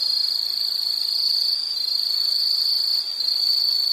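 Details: Steady, piercing insect trilling fills the whole stretch, a dense rapid pulsing at one high pitch with slight wavering in loudness and nothing else clearly heard.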